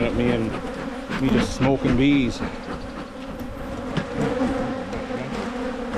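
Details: Buzzing honey bee colony during spring hive splits in Michigan. A continuous low droning hum, broken by a few short voice-like tonal bursts in the first seconds.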